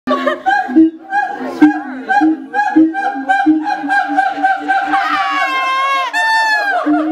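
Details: Siamangs at Auckland Zoo, New Zealand, call with loud, rhythmic hooting notes that build into rising, wailing whoops.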